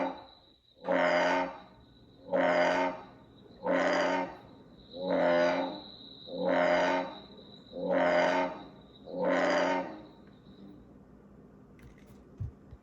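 An American bullfrog gives deep, droning croaks, about seven in a steady series roughly every 1.4 seconds.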